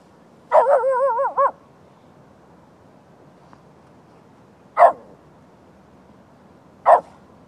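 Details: A Lhasa Apso barks at deer at night. It opens with one long, wavering, yodel-like bark lasting about a second, then follows with two short, sharp single barks a few seconds apart. A faint hiss sits behind.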